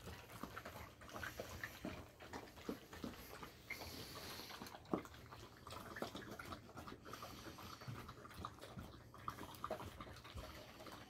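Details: At Monday breakfast a Golden Retriever eats kibble soaked in sea bream bone broth, sprinkled with bonito powder. Soft, scattered chewing, licking and lapping noises continue quietly, with occasional louder smacks.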